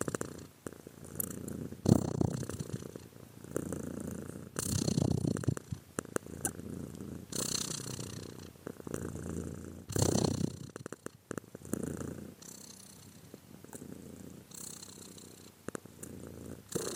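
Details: Long stretch of a domestic cat's purr: a continuous low, grainy rumble with rapid pulsing, pushed into louder breathy surges every few seconds as the animal inhales and exhales.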